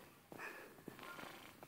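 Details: Sixteen-year-old male grey tabby cat purring loudly while being petted indoors, a rough, pulsing rumble in several short bursts, with faint rustling.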